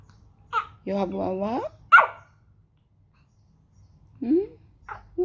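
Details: Pomeranian puppy 'talking' indoors: one drawn-out, whiny, howl-like tone that bends upward at the end, framed by short yips and squeaks, while a person speaks softly nearby.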